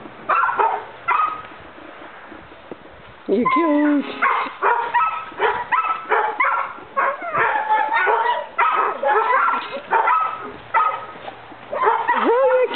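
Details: Three 4-month-old male Weimaraner puppies playing together, yipping, whining and barking in quick, high-pitched bursts.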